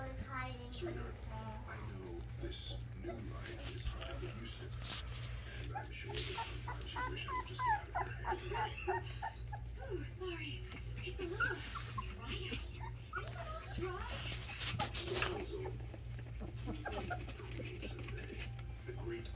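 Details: Alaskan Malamute puppies, one named Velma hiding, give high, wavering whines and short yelping whimpers in irregular bursts over a steady low hum, with human voices now and then.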